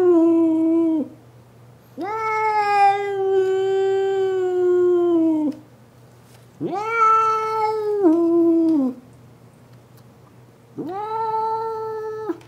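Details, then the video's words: Female domestic cat indoors, angry at another cat outside the window, gives long drawn-out tonal howls rich in harmonics, four calls of one to three seconds each, some wavering and dropping in pitch at the end, with quiet pauses between. "Hissy Howling Kitty"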